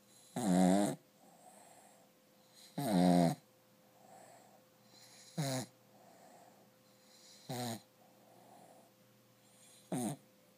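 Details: Sleeping pet dog Rufus snores with one eye open: two long, loud, rumbling snores open the sequence, followed by three shorter, sharper snorts about every two and a half seconds, with soft breaths between and a low background hum.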